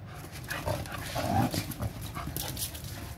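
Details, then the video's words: Mudhol Hound and Kombai in rough friendly play; short low growls and huffs with a brief whine-like tone in the middle, over scuffling noise. "mudhol hound kombai friendly wrestling"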